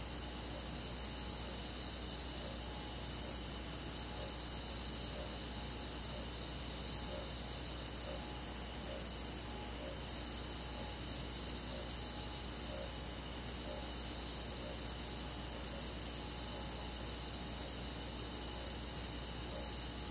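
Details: Summer-night chorus of crickets and forest insects in the countryside: unbroken shrill trills stacked at several high pitches, softly pulsing, holding steady for twenty seconds above a faint low rumble.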